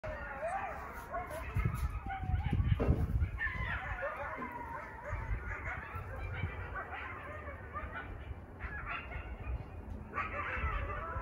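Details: Coyote pups heard at night outside a window in a suburban neighbourhood howl and yip together in high, squealy, wavering, overlapping cries over a low background rumble.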